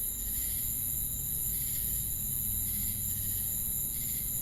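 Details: Chirping crickets mixed with cicadas, giving a continuous piercing high drone with softer buzzy swells about once a second, a low rumbling hum beneath.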